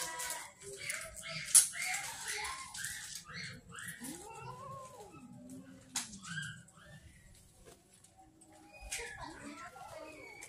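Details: Hungry street cats and kittens at feeding time in Banyuwangi, Indonesia, said to be angry at late food, give repeated drawn-out meows with arching, wavering pitch, several overlapping, amid clicks, clatter and faint background voices.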